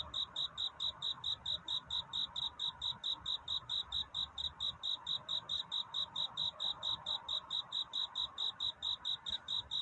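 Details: Cricket chirping through a quiet night into dawn, its song a courtship call for love: a long, very regular run of short, high, ringing pulses, roughly two per second, with a low hiss beneath.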